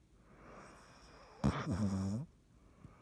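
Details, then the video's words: Dottie the cat snoring in sleep: a short snort, then a rough, low rattling snore that fades out after almost a second, with near silence around it. "Dottie snoring"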